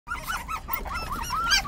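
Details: Hailey, a five-week-old puppy, gives a quick run of short arched whimpers, each rising and falling, packed close together over less than two seconds, with a faint low hum underneath.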